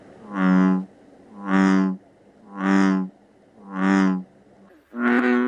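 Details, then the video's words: Night frog chorus in a natural setting: five deep, droning, resonant croaks, each lasting nearly a second and repeating steadily about once a second, with the final note slightly higher and harsher. "Frog Sounds, Natural Frogs Singing in the World"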